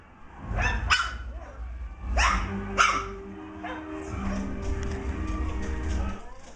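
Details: Almost six-week-old Shetland Sheepdog puppy running around a great room, playing with an older dog and razzing other puppies in an enclosure; sharp, harsh barks burst out in pairs, with a woman talking and faint background tones.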